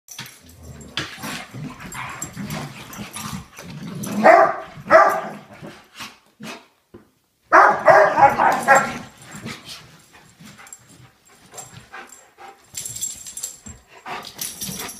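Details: Old English Sheepdogs playing at home, giving rough barks and growling bursts in two loud clusters around four and eight seconds, with quieter scuffling between and a woman talking about a ball.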